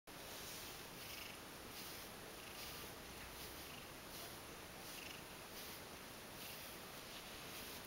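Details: Ragdoll cat purring while being brushed at home, enjoying it and rolling to show its belly; a soft, steady, noisy rumble with gentle rhythmic pulses about every half second, quiet throughout.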